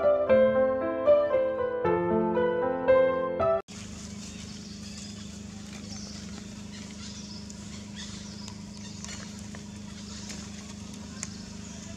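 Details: Piano music plays for nearly four seconds, then cuts to steady outdoor background noise without any distinct animal call.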